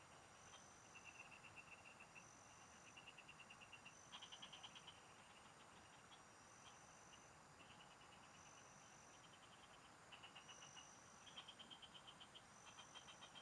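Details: A field chorus of frogs, captured while fishing: bursts of quick rattling pulses, several voices overlapping and alternating, with louder ringing bursts near four and eleven seconds, under a constant high whine of insects.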